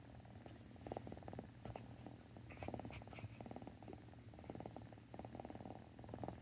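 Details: Rum, a pet cat, purring softly in a quiet room: an even, low rumble made of rapid fine pulses, with occasional short higher bursts that could be sniffing from another cat.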